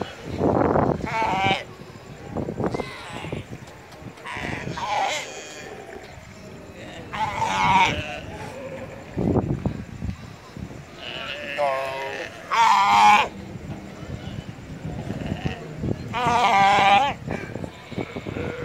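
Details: Galapagos sea lions in the Galapagos Islands, Ecuador, giving loud, wavering, sheep-like bleating calls in bursts, about eight across the stretch, some long and quavering, separated by pauses with low background rumble and faint murmur.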